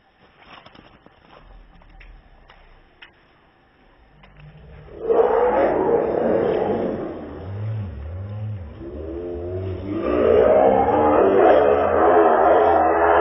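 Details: Cat in a fight, filmed in 2016: after quiet rustling, loud drawn-out wavering yowls with rising and falling tones start mid-clip and swell again near the end, over a low rumbling undertone.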